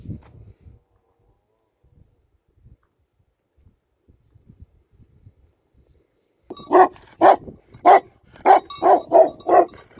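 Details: Tibetan Mastiff, a native Himalayan guard dog, after about six seconds of near silence gives a run of deep, loud barks, roughly eight in quick succession, each a short burst with rich harmonics.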